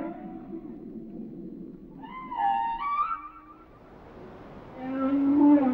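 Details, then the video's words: Whale song with varied phrases: a low murmur, then a bright wavering upswept cry with layered harmonics, a short dip, and a rising moan at the end against faint underwater hiss. "Song of the Whales"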